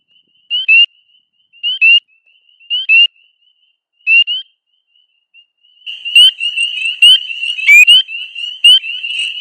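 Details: Single high, sharp upslurred peeps from a spring peeper (Pseudacris crucifer) repeat about once a second in early April, then a dense, loud, overlapping chorus of many peepers swells in, calling loudly from dense vegetation to attract mates.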